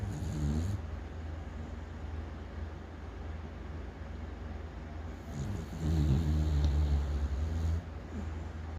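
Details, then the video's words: Snoozing on a bed during rainy weather on 22 June 2024, the pet dog Yeowoo gives a short low snore, a quiet stretch of steady hum, then a longer rumbling, vibrating snore lasting about two seconds. "침대에서 코 골면서 꿀잠자는 반려견 여우"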